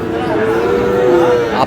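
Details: Cattle mooing at the Aftabganj livestock market in Dinajpur on a Tuesday market day, 22 July, where Friesian and crossbred bull calves are sold. A single steady, drawn-out moo lasts about one and a half seconds, with faint crowd murmur behind it.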